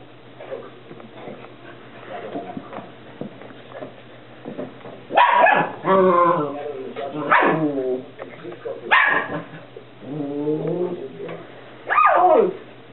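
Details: Whippet puppies playing indoors: bursts of sharp, high yips and short barks, several with wavering, whine-like harmonic cries, separated by quieter stretches, with soft human voices in the background.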